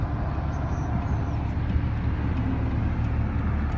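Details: Constant low rumble of a vehicle engine or road traffic fills the recording, with no animal sound.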